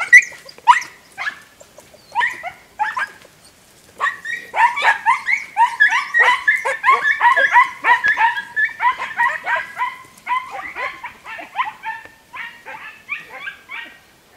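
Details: Podenco Andaluz, 3 December 2011: a few separated high yelps at first, then a dense, rapid run of overlapping yelping barks from about four to ten seconds, easing into quicker, lighter yelps toward the end.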